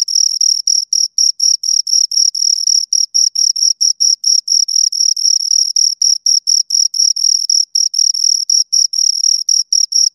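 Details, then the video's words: Two crickets chirping close by, a loud high-pitched pulsed trill broken into rapid, slightly uneven chirps about four per second, with a fainter higher overtone and no other sounds. "Two Crickets Chirp Sounds"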